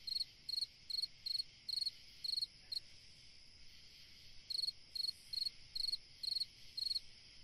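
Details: A cricket sings through a summer night in a calm, sleep-inducing setting; rapid pulsed chirps come about twice a second in two runs split by a brief gap, with a constant high-pitched insect drone behind.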